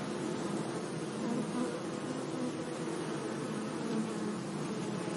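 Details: Steady drone of bees at work among meadow flowers on a sunny day, a thick unbroken hum with short louder buzzes from single insects flying nearby, notably around the middle and near the end.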